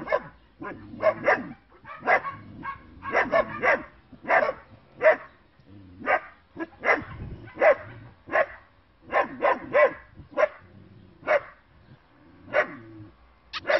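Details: Short-haired working-line German Shepherd puppies in bicolour and black yap continuously, overlapping squeaky barks and yips tumbling over each other in an uneven stream with brief gaps.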